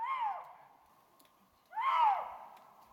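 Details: Late at night in the Bavarian Forest National Park, amid snow showers under a cloudy sky, a Eurasian lynx gives its mating call: two harsh, downward-sliding, moaning cries, each half a second long, separated by a short silence.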